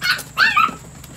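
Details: Four 8-week-old Chihuahua puppies, two males and two females, exploring the outdoors in Fredericksburg, Virginia; two short, high-pitched whimpering yips, the second one sliding downward, over a faint steady hiss.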